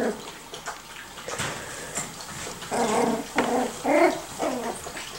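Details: Miniature Schnauzer puppies, five to six weeks old, learning to play; short high whines and yips come in bursts, with harmonic squeals clustered near the end amid scuffling indoor noise.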